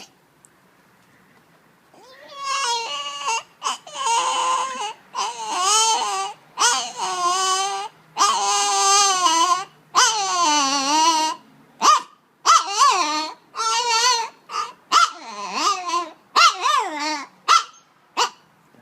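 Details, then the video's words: Dog named Nehbey making weird noises: a long run of loud, harmonic whines and yodel-like cries that bend up and down in pitch, each lasting about a second, broken by short silences in a quiet indoor room. "Nehbey makes weird noises"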